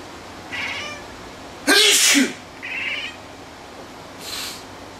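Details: Indoor pet cat that cries whenever someone sneezes: a faint meow, a loud human sneeze, then a short bright meow in reply and a brief breathy noise near the end.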